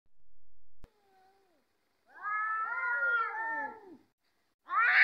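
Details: Domestic cats squaring up to fight: a brief thin tone, then a loud, wavering, harmonic yowl lasting about two seconds, and a harsh new cry starting at the very end.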